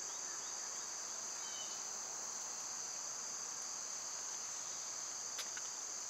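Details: A summer cicada chorus drones on without pause, a bright, even, high-pitched hiss, joined by a brief whistled note early on and a couple of sharp clicks near the end.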